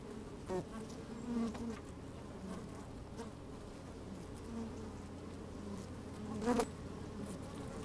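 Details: Inside an opened beehive on a sunny day, honey bees move about and occasionally buzz; a continuous hum holds steady, broken by a few short, sharper buzzing bursts near the start and close to the end.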